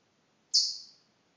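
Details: A pet chipmunk, called a chirping canary by its owner, gives one sharp, very high chirp that starts suddenly and fades over half a second; the background is otherwise quiet.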